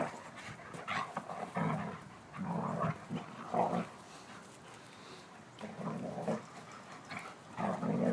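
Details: Two German Shepherds playing, a brown 16-month-old female and a silver 9-month-old male; low rough growling bursts recur about every second, with panting and scuffling between them.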